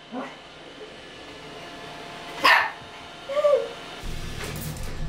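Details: A toy poodle, curious at first about a newly arrived Roomba robot vacuum, gives a sharp, high bark and a rising yip in fear once it starts running, threatening it.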